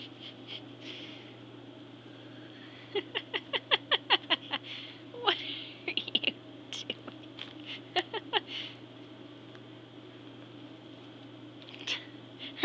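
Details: Moon Sugar, a hungry and loud house cat, calls indoors before feeding; a rapid string of short chirpy meows repeated about twice a second, broken by pauses, over a steady low hum and soft human voice.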